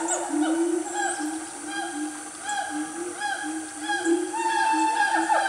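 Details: Loud family of siamangs calling in Gunung Nuang forest, Selangor, Malaysia, around 10 am on a cool morning; overlapping hooting and whooping notes that swoop up and down, repeated several times a second, building in a continuous chorus.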